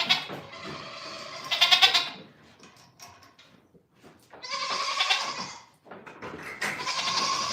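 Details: Domestic goats on a farm producing three long, harsh, quavering bleats: one at the start, one around the middle and one at the end. Quieter rustling fills the pauses.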